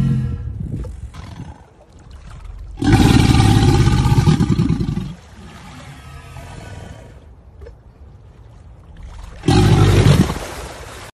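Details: American alligator bellowing: two deep, rumbling roars, the first about two seconds long and the second about one second, with low throbbing pulses and quieter low rumble between them.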